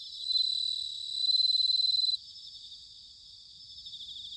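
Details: Bell crickets singing in autumn, recorded in Sanuki, Chiba, Japan: two loud, high ringing trills pulse rapidly for about two seconds, then a softer, steady chorus of pulsing chirps continues beneath.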